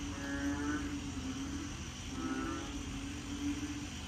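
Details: Big black frogs calling unseen at night at the start of the rainy season in Korat, Thailand; low, droning moaning tones pulse steadily, with fainter rising harmonic calls overlapping twice over a dense background chorus.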